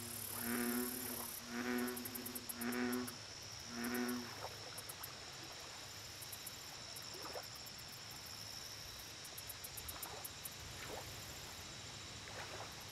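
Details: American bullfrog at a lake giving four deep, harmonic, droning croaks about one second apart, then fainter distant croaks, over steady high insect trilling and a constant low hum.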